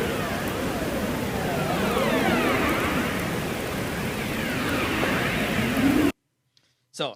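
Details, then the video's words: A recording of a Ross seal underwater gives haunting, eerie, siren-like calls that sweep up and down over a steady underwater hiss. "so to start I'll play a quick recording excerpt of the Ross seal"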